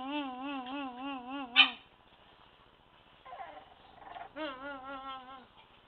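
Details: Staffordshire Bull Terrier puppies, a litter of two males and three females about one month old, English line: wavering, tremolo whining calls in two long bouts separated by a short sharp yelp and quieter rustling.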